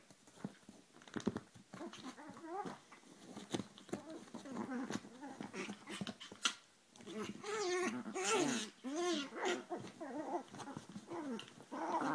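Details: Pair of Chihuahuas clashing in a small room, fighting each other, giving continuous throaty growls that bend up and down in pitch, broken by sharp snorts and rustling, growing louder and more frantic in the second half.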